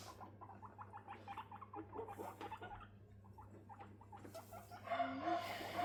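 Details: Female guinea pigs being introduced for bonding indoors: sisters Rosin and Mandel, 3.5 months old, and 1.5-month-old Latte. Rapid series of short clicking, chirping pulses, several per second, with brief bright squeaks near the end.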